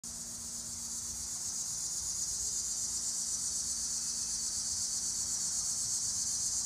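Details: In eastern Pennsylvania in summer, cicadas produce a steady, high-pitched buzzing drone that holds unbroken throughout.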